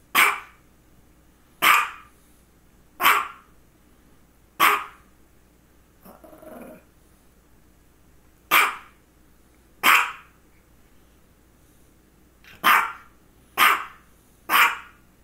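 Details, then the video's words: Misha, a female pet dog with focal seizures occurring just before and shortly after, barks steadily indoors: ten sharp, harsh barks spaced about one and a half seconds apart, with a brief pause midway, over a faint low hum. "Barking and two focal seizures"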